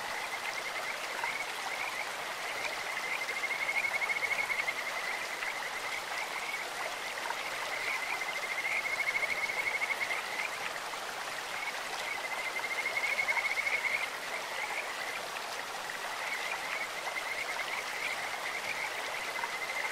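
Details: Kajika frog along a clear stream gives three separate bouts of high, rapidly pulsed trilling, each a second or two long, spaced several seconds apart, with flowing water rushing throughout.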